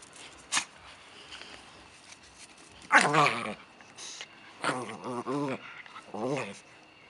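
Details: A 10-week-old Stabyhoun puppy play-fighting with a 7-year-old dog gives short bursts of grumbling, wavering play growls in three rough outbursts, with scuffling and one sharp snap early on.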